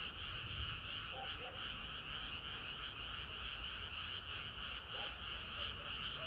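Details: Frogs singing through a hot summer night, an ongoing mass chorus of fast croaking pulses, steady and dense, with scattered lower chirping notes mixed into the background.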